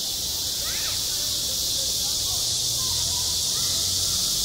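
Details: A constant high buzzing of cicadas fills a summer school playground, accompanied by a low steady hum and a few faint far-off voices.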